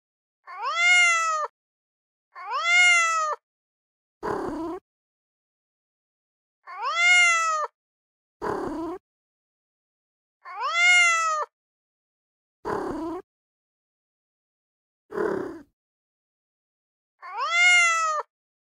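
A kitten gives high, thin meows that arch up and fall, repeated every couple of seconds.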